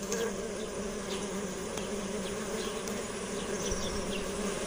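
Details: Bees buzzing in a steady, low drone with a hum near the bottom of the range, soft clicks and faint scattered ticks over a continuous even background.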